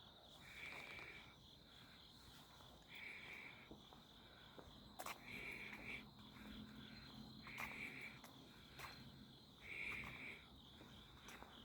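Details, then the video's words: Insects on a midsummer night, 11 August 2025, heard along alleys during a walk: a steady high whirring trill runs throughout while lower buzzy bursts of about a second each repeat every two seconds or so. "풀냄새 벌레소리"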